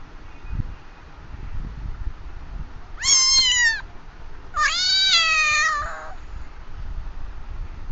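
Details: Cat meowing twice, a short harmonic-rich meow of about one second followed by a longer, drawn-out meow that slides slightly downward, over a quiet background with low rumbling noise.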